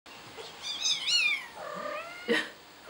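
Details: Kitten giving a single drawn-out meow that rises sharply, then slides down in a long falling tail, followed by a brief shorter squeak; the room is otherwise quiet.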